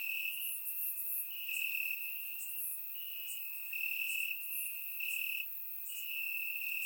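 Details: Night chorus of crickets in Bulgarian grass on a warm summer evening: a continuous high, ringing trill broken into short swelling bursts, plus scattered sharper chirps higher up, surround-mic recording.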